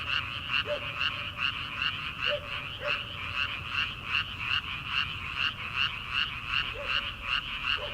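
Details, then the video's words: Frogs in rice paddies late at night in early summer, before rice planting: a continuous chorus of harsh pulsed croaks about two to three per second, with a few deeper separate calls interrupting. "초 여름 개구리 울음소리/ 논에서 들리는 개구리 소리"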